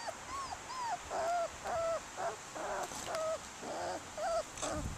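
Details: A black and tan female puppy whimpers steadily. Thin, arched whines come about twice a second, some rising and then falling, with light background noise.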